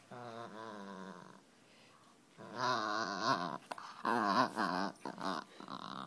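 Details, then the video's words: A 10-month-old male Miniature Pinscher rescue puppy makes funny growling noises: voiced, wavering grumbles for about a second and a half, a pause, then longer rising-and-falling growly whines in uneven bursts. "Growling Min Pin"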